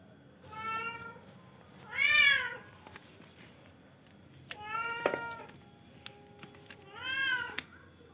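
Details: Four drawn-out meows from a charcoal F1 cat, spaced roughly every two seconds. The second is loudest and rises then falls in pitch; the others are steadier and bright. Light clicks come in between.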